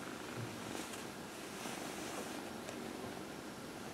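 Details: Purring from Dinah, a 14-year-old adopted cat enjoying her nightly lap-time massage in the early evening, April 16, 2020; a constant quiet drone with brief soft rustles of fur being stroked.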